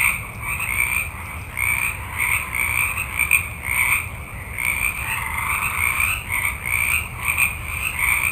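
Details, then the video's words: Frogs in great numbers call through a forest night, their grating croaks layered in two pitch bands and rising and falling irregularly, backed by a continuous thin high-pitched drone. "Forest Ambiance With Frogs Ext Night, Multitude Of Frogs"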